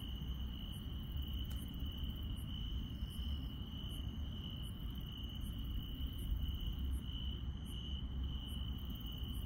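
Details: Grass insects on a countryside night: a steady, unbroken high trill runs throughout, with fainter, higher chirps pulsing at a bit under one-second intervals over a constant low rumble.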